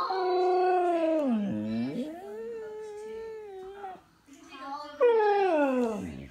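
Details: Husky singing indoors in a small room: long, smooth, harmonic howls that slide down and then level off, a brief drop in the middle, then a loud rising-and-falling howl near the end.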